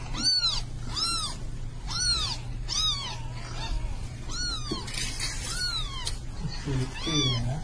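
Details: Mother cat with her kittens: a run of clear, rising-then-falling mews repeated about every 0.7 seconds, then overlapping calls with a few lower, shorter mews near the end, over a steady low hum.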